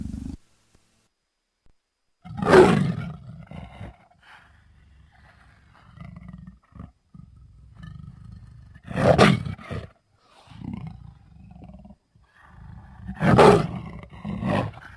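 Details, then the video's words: Leopard giving three loud, harsh roaring bursts spaced several seconds apart, each a rough broadband blast over a deep rumbling base, with low growling murmurs filling the quieter gaps between them. "Leopard sounds"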